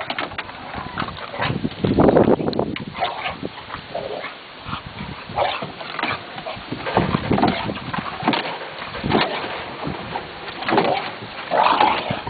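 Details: Olde English Bulldogge male playing at boxing, giving loud snorting grunts and huffs in bursts, with short rough growl-like sounds between scuffling noises and movement.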